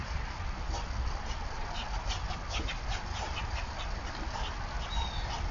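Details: Squirrel giving a predator call while reacting to a predator, recorded November 27, 2022: a steady train of short, sharp, scratchy chucks repeated several times a second, over a constant low rumble of wind or background noise.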